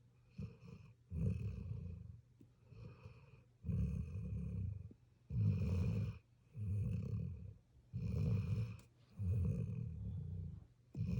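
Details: Sleeping puppy snoring: low, rumbling breaths in steady bursts roughly every one and a half seconds, each swelling and fading, with quiet pauses between.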